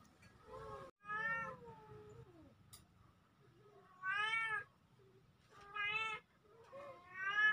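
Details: Kittens, a pair filmed October 17, 2024, calling in clear harmonic meows about every one and a half seconds, some long and falling, in a quiet setting.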